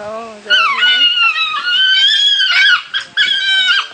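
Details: Three African wild dogs at Binder Park Zoo's Zuri National Park crying while fighting over a single chew toy: a loud, high, sustained whining cry rich in harmonics, holding steady, then breaking into shorter wavering cries.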